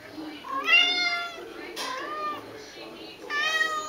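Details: A pet tabby cat in the middle of a long singing session. It gives three drawn-out, harmonic meows: a rising-then-falling wail, a shorter bent cry, and a final sliding meow. There are quiet pauses between the calls.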